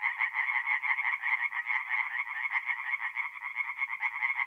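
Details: A dense chorus of tree frogs at a north-east Italian forest pond on an April night: quick nasal pulses stacked in two bands, overlapping without pause.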